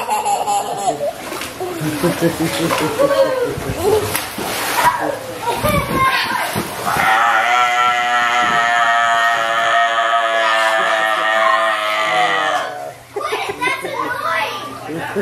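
A sea lion gives a long, sustained, harmonic wail that sags slightly in pitch, after lively human chatter.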